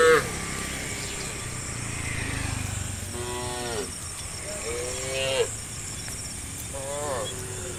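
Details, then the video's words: Herd of tame cows roaming a road toward green rice fields at morning; several short, moderately loud moos with falling harmonics spaced a second or two apart, over low rumbling background and a constant high hiss. "A herd of tame cows roams the road to the green rice fields in the morning, the sound of cows"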